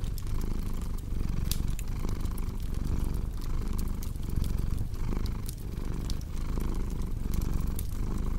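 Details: A cat's low, rolling purr throbs in steady breath-paced waves under a busy layer of fireplace crackles, snaps and sharp pops.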